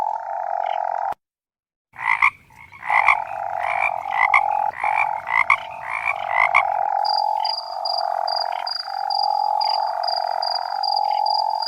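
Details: Male toads calling in the mating season: a continuous, mellow trill with a faint high whine, interrupted by a short silent cut, then punctuated by rhythmic, rasping croaks from several animals before the smooth trill carries on alone.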